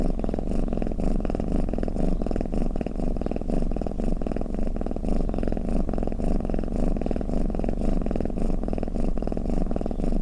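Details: Low rumbling cat snore, a dense trembling purr with faint rhythmic surges about twice a second, steady in loudness and otherwise quiet.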